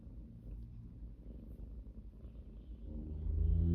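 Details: Purring cat, a low throbbing rumble that grows louder and deeper toward the end.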